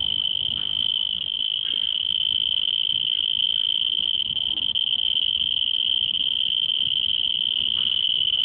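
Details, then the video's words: At Singapore Botanic Gardens, a cricket gives a steady, high, ringing trill that carries on without a break. "Cricket Making Sound at Singapore Botanic Gardens"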